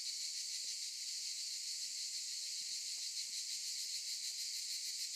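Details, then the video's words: Olive-tree cicadas droning as a continuous high, sizzling buzz, evenly pulsed and unchanging in loudness across the whole stretch. "Sound of cicadas"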